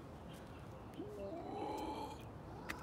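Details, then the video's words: A cat named Rickshaw at feeding time, recorded with a JVC on 27 November 2020, gives one soft meow about a second long. It rises, then holds level, over a steady background hiss. "cat feeding - rickshaw blacky"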